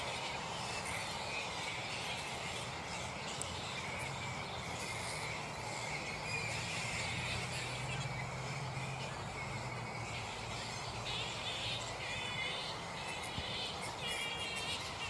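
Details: Black flying foxes (Pteropus alecto) in their roost at mid-morning, not yet settled for the day. Many overlapping raspy, harmonic squabbling calls chatter continuously over a steady, broad background hiss.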